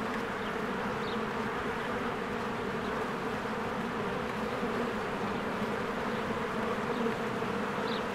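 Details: Honeybees flying in and out of their hive in spring as flowers bloom; a dense, steady buzzing drone with layered overlapping wingbeat hum, unbroken throughout, with faint higher chirps of birds now and then.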